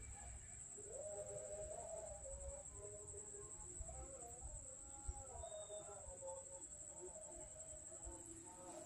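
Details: Hungry street cats and kittens being fed in Banyuwangi, Indonesia, angry that food came late: a run of overlapping wavering meows lasting several seconds, set against a continuous shrill cricket tone.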